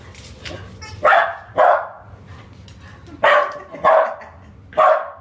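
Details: Bodhi, a puppy, barks at a new toy ball that makes funny noises, not love at first sight; five sharp barks in irregular pairs over soft room noise, a person speaking faintly.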